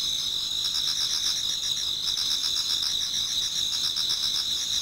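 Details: Autumn insects chorusing in a Japanese garden as dawn approaches, a continuous shrill ringing tone overlaid by fast pulsed trills, several singers blending into one dense high wall of sound.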